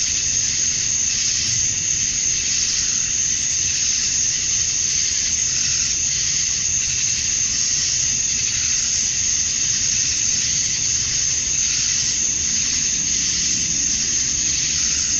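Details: Male cicadas chirping to attract females on a summer evening at dusk in Georgia, USA; a dense, steady high-pitched shrill buzz with gentle, slow swells in loudness, over a faint low rumble.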